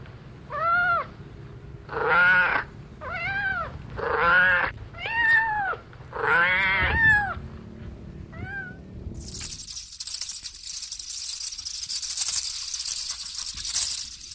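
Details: Cat on a farm with kittens and other animals: a run of about seven lower, arching meows, some drawn out and wavering, over nine seconds, then a loud hiss of broadband noise takes over.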